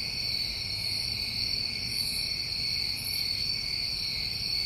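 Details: Summer crickets in New England sustaining a continuous shrill chorus of stacked steady trills, with faint higher buzzy pulses near the middle and a soft low background rumble.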